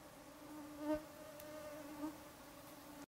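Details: A mosquito swarm at sunset in summer makes a steady, high, humming whine that holds one even pitch throughout.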